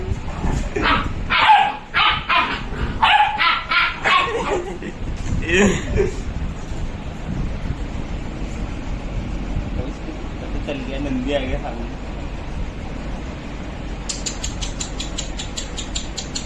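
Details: Play fight between Labradors Leon and Alester: a rapid volley of repeated barks, about three per second, for four seconds, then quiet background with faint voices and a brief high rattling sound near the end.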